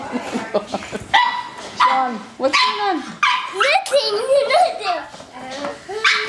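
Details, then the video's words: Ruby the pug goes after the vacuum she treats as her enemy, giving sharp repeated yaps and grumbling barks while people speak over her. "Ruby the pug vs. the vacuum"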